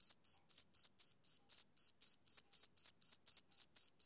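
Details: A male cricket gives a bright, shrill series of clipped chirps, roughly four each second. Each pulse is crisp and evenly separated by brief silences, with nothing else audible.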